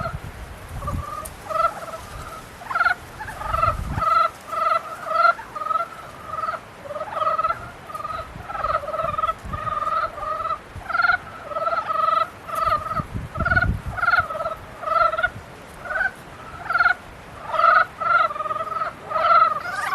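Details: A dense chorus of frogs during mating season: rapid, overlapping, harmonic croaks repeated almost continuously, several individuals alternating, with occasional low thumps beneath.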